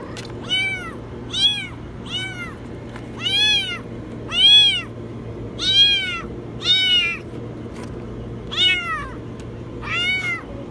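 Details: Kitten stuck in a washing machine, meowing very high: eleven arched, high-pitched meows repeated roughly every second, each rising then falling, over a steady low hum.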